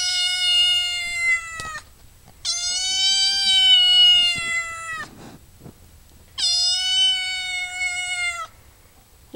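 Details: Maud'dib, a house cat, waits for food and gives three long, steady, plaintive meows of roughly one and a half to two seconds each, separated by short quiet pauses.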